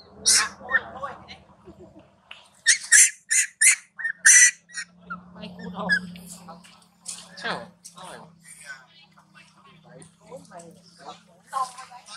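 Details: Big male Marcus fights small baby Timo as Tima, angry, screams loudly at him. Rasping grunts give way to a run of sharp, high screeches, followed by scattered squeals and a low background hum.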